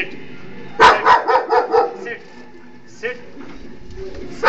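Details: Dog in Miryalguda giving a quick run of about five harsh barks, followed by a single softer bark, over low background noise.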